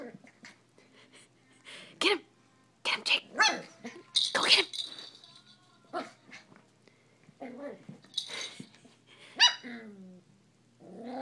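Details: Eight-week-old miniature schnauzer puppy playing with pink cat toys, giving several sharp high yapping barks with a few throaty bursts, mixed with a person's excited voice urging it on.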